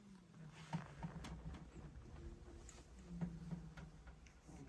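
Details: Milo the cat asleep in a Haribo box, snoring with an echo effect added: low, rough drawn-out breaths, two long rumbling snores about two and a half seconds apart, with faint clicks and soft room noise.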